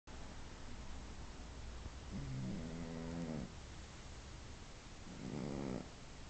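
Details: Domestic cat asleep and snoring loudly indoors; two long rasping snores with a low buzzy tone, each lasting about a second, separated by quieter breathing.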